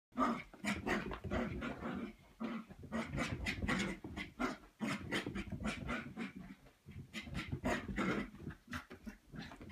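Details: Scarlett, a 3.5-month-old red Cavapoo puppy (Cavalier King Charles spaniel x toy poodle), frapping with zoomies after a foot wash; rapid bursts of rough growly huffs and snorts, pulsing almost nonstop with brief gaps.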